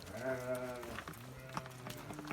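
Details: Lambs give a wavering, nasal bleat as a sheep flock returns from watering on a rainy day in Turkey, followed by a man speaking and soft farmyard sounds.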